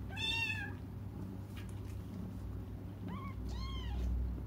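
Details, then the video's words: Crying cats waiting for their mother give a long, bright meow at the start, then a pause of near silence before two shorter arched meows follow close together, all against a rumbling low background. "until their mom comes just stop crying"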